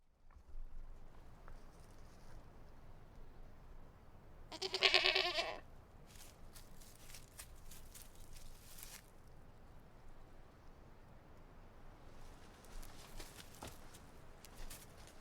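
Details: Goat bleating outdoors: a single loud, harmonic, wavering bleat of under a second about five seconds in, set against steady low background noise with scattered faint clicks.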